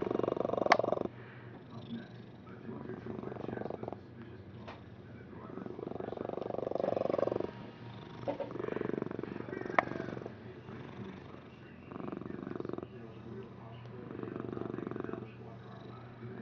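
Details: Domestic cat purring, a breathy rumbling purr that swells and fades in cycles of roughly two to three seconds, with faint clicks and some room noise.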